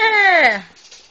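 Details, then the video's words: A female pet dog gives one brief, sheep-like bleat of about half a second. The rich harmonic cry slides steadily downward in pitch and fades into a quiet indoor background. "my dog making sheep noises"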